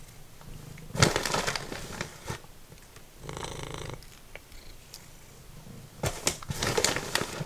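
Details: Formerly feral cat Simba snacks on dried minnows, a low rumbling purr running beneath loud, crackly bursts of chewing and crunching that come and go in clusters.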